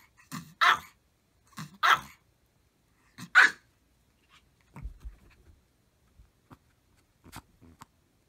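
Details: Maltese dogs barking together at full effort: three sharp, loud barks in the first four seconds, each with a low growly onset, then quieter scattered yaps and small rustling sounds.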